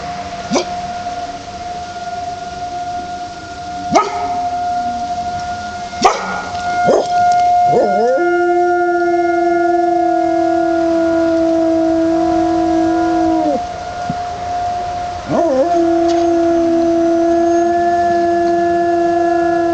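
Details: Howling from a male dog outside in a cold Michigan winter, January 2005, set off by a monthly 1:00 pm tornado siren test. A few sharp knocks come first, then two long, level, drawn-out howls ending in a drop, over the constant siren drone.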